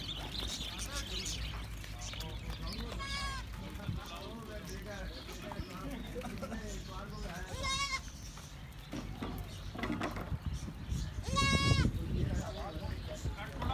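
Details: Baby goats playing and jumping outside a goat farm in Karachi, Pakistan, around Bakra Eid; several wavering, quavering bleats rise over constant crowd chatter and speech, the clearest near the end.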